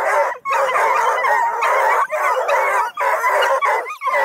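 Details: Hound crew of Bluetick, Redbone and Black and tan coonhounds near Kingston, Ontario, Canada, baying together: overlapping loud, harsh, drawn-out howls and bays in a continuous chorus with brief gaps.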